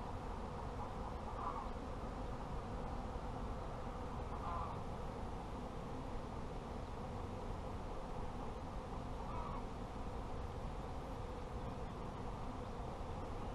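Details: Apiary honey bees make a thick, continuous low droning hum that holds steady throughout, with a few faint short bird notes rising above it now and then.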